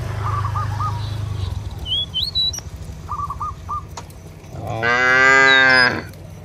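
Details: Cow in a village field calling its companions home to the barn: after bird chirps and a low engine drone, one loud, sustained, deep moo rings out near the end.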